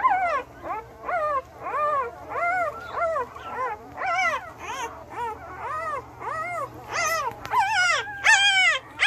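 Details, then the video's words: One-week-old male Belgian Malinois puppies, litter born 9/26/2021, give high arched whimpering cries with clear harmonics, about one or two a second in uneven bursts, with a steady low hum beneath. "Belgian Malinois Male Puppies 1 Weeks Old"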